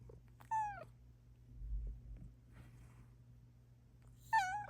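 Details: Indoor morning meowing by Luna, a Bengal cat; two bright, bending meows, one near the start and one at the end, with near-silence and a faint hum between them.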